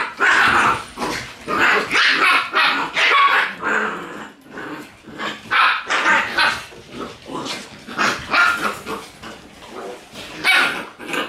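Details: Shiba Inu dogs squaring off in a tight space, with a loud run of snarling growls and sharp yapping barks, rapid bursts repeated throughout with short gaps.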